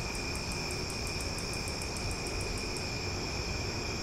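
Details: Night-time cicadas in Omaha in summer fill the air with a constant shrill multi-toned drone, while a very high, fast series of clicks repeats about five times a second for nearly three seconds, then fades.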